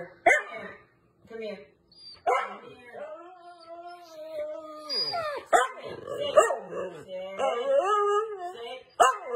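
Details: Female Siberian husky talking back when told to sit. She makes drawn-out, wavering, howl-like moans that rise and fall in pitch, broken by short sharp yips and brief pauses.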